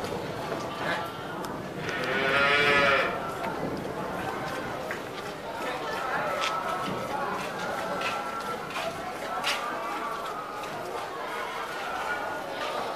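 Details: Cattle mooing while being milked: one drawn-out harmonic moo early on, then a continuous murmur of background noise with faint voices and clatter.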